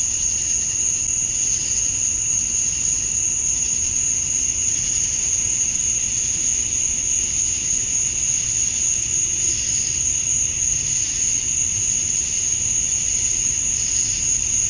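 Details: Cicadas singing at dusk on a summer night in Georgia, USA: a steady high, shrill drone holds throughout, with softer pulsing swells of buzzing layered beneath, no other clear sounds.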